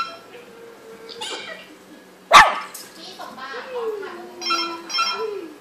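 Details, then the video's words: Small pet dog letting out one loud sharp bark amid soft whining or whimpering tones that slide downward, with a person's voice also heard. "หมาน้อยชอคกี้ Chocky เห่าอะไรกันนะ"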